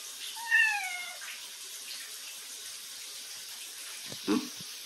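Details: Chatty cat Bini talking back to its owner: one clear, drawn-out meow with a falling tail, followed by silence and a brief knock or clatter near the end.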